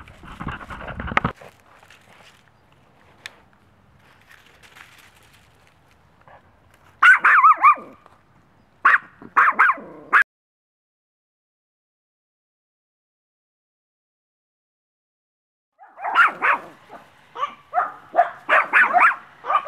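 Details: A young female Maltese, one year old, at a dog rescue in Brooksville, Florida; rapid volleys of shrill yapping barks break out in bursts, separated by silent gaps, with a louder run at the end.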